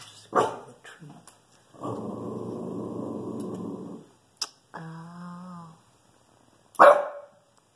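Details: A Shih Tzu protecting the house gives sharp barks between long, rumbling growls and a moaning whine, aimed at a squirrel.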